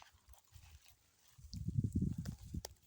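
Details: At a cattle market, a cow gives a low, deep moo that swells and fades within about a second.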